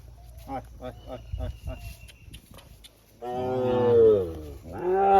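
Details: Sahiwal bull offered for sale at a cattle market in Birampur, Dinajpur, Bangladesh, on 24 June. After soft tapping and murmurs, a loud, deep, harmonic-rich moo swells and falls, then a second moo begins near the end.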